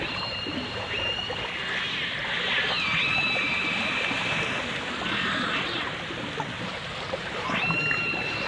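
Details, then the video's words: Dolphin song from a 1989 stereo album of dolphins and orcas: long, high, steady whistled tones, one sliding down then holding flat for several seconds, another near the end, over dense hissing water noise. "The Enchanting Sounds Of Dolphin Song (Dolphins & Orcas)"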